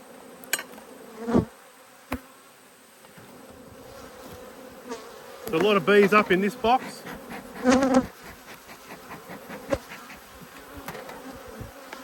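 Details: Agitated honey bees, disturbed by a beekeeper inspecting their two hives, keep up a continuous low buzz; a person's voice cuts in briefly midway, with occasional knocks of hive equipment.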